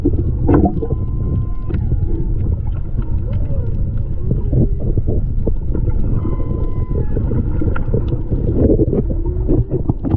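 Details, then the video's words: Whales singing off Maui, Hawaii, February 2020, caught underwater on a snorkeler's GoPro: faint level tonal moans and short whistles scattered through ten seconds, partly buried under loud low-frequency water rumble and clicking. "Whales Singing in Maui, HI"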